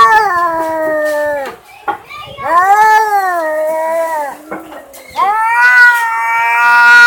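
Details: Domestic cat giving three long drawn-out meows, each rising then slowly falling, harmonic and nasal, with short gaps between and faint clicks in the pauses.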